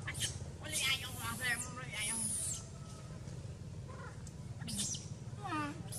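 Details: Loud angry crying from the abandoned baby monkey Sovana: harsh, high screams in clustered bursts, some sliding and wavering downward, over a steady low rumble of background noise.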